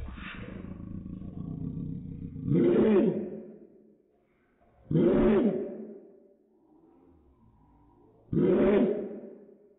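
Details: Dog barks slowed down into three deep, drawn-out roars, each rising then sliding down in pitch, spaced roughly two and a half to three seconds apart over a low hum.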